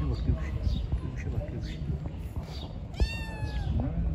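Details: Street kittens meowing while being fed, a series of short rising-falling meows with a clearer harmonic meow near the end, mixed with a person speaking Turkish and calling them to the food.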